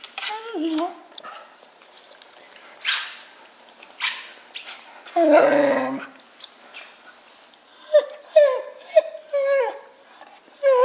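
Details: Wire Fox Terrier wanting a silver balloon floating above him, tied to a lamp; scattered short whimpers and one longer harsh whine midway, then a run of brief high tonal yelps, with some background noise between.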